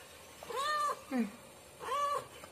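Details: Domestic cat meowing: three clear, arched, harmonic meows that rise and fall, the middle one shorter and lower, with a brief pause between each over a quiet background.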